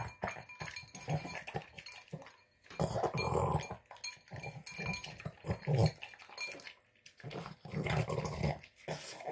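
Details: Boston Terrier gobbling a tuna, egg and kibble dinner, with low grunting pig-like snorts in rough bursts of one to two seconds, separated by brief pauses, roughly twenty-six per minute.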